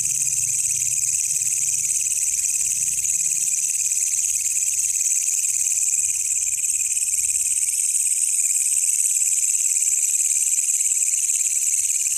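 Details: Night recording of a wild walang kecek katydid, used for tutoring songbirds: steady, shrill, sizzling stridulation running the whole time, slightly brightening near the end, over a soft low rumble early on.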